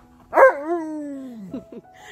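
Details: Tonka, an Alaskan Malamute, vocalizes as if asking what is for breakfast: one long, drawn-out howling moan that rises briefly and then slides slowly downward for over a second, followed by a couple of short grunts.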